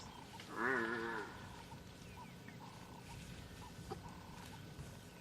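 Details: African buffalo in the wild at Tswalu Kalahari Reserve, South Africa, on a sunrise drive, 27 May 2020. A single loud, wavering, moaning bellow lasts about half a second, then faint chirps over a quiet outdoor background.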